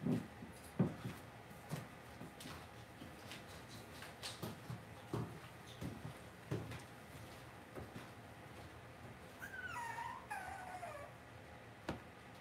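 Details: Cavalier King Charles Spaniel puppies in an indoor home puppy pen: soft thumps and rustling movement, then a wavering, whistly whine that falls in pitch, repeated twice near the end.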